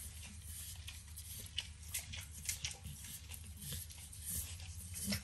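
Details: Overcooked bacon gets licked and nibbled by Max, a 9-year-old Pit Bull, indoors in a kitchen; moist smacks and sharp little ticks repeat unevenly, a louder snap near the end, low household hum beneath.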